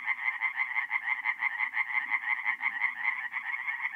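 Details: Mid-April, North-East Italy, a forest pond at night: tree frogs give quick, evenly repeated creaking croaks, about three per second, loud and unbroken, a faint low hum in the background.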